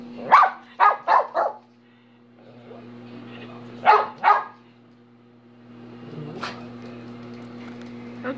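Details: Minnie the dog lets out a quick string of four barks, a pause, then two more and a lone late bark, with low background noise and a steady hum between.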